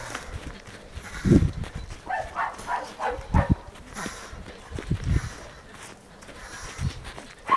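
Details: Jagdterrier giving a quick run of short, harmonic yelps around the middle, mixed with heavy low thumps and handling noise, with a man's voice nearby.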